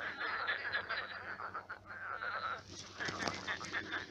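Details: Night chorus of many frogs in a shallowed pond that became a marsh; busy, rattling croaks pulse quickly and overlap, growing slightly louder and harsher toward the end.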